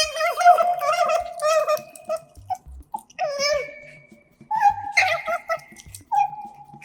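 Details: Pet otters Kotaro and Hana, recorded indoors up close with a microphone while eating, give wavering, whiny squeaks with rich harmonics, short chirps and drawn-out mewing calls in bursts, over soft chewing and clicking sounds.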